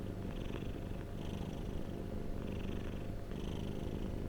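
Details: Contented domestic cat purring near the microphone: an unbroken low thrumming hum with soft breathy bursts at roughly one-second intervals.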